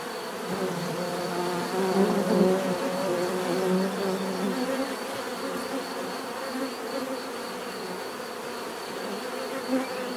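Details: A busy chorus of buzzing bees, overlapping wing hums rising and falling in pitch as individuals fly near, over a constant background drone and a faint high whine.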